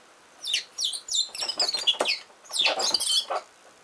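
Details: Richardson's ground squirrels quarrelling as they dig, giving loud, high-pitched squeals that sweep downward, run together in a rapid chattering volley, pause briefly, then return in a second squeaky burst.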